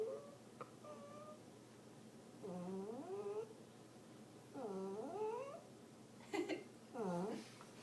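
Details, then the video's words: A frightened pet dog named Tucker, reacting to a touch on his paw, gives soft whimpering whines that sweep upward in pitch, coming in bursts about every two seconds over a faint low growl, with a brief noisy sound in between. "My Dog Makes Strange Noises"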